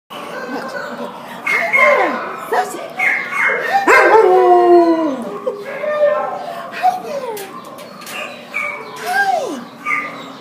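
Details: A Border Collie Husky mix wails at the pound on December 27, 2014: drawn-out harmonic cries that rise, then bend sharply downward. They come in irregular bursts, with a loud, wavering peak near the fourth second and a faint kennel hum beneath.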